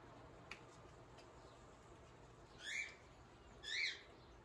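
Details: Kinkajou named Guinness at breakfast, eating a peanut butter sandwich; two quick high chirping squeaks about a second apart near the end, with a faint click before them and a low hum throughout.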